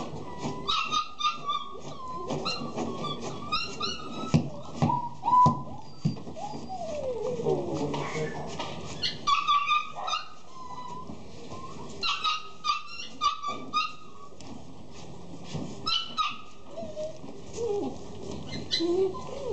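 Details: Short-legged Jack Russell Terrier puppies with patches. High, thin whimpers and brief yips come in scattered bursts, including a drawn-out falling whine, amid clattering and rustling handling noise throughout.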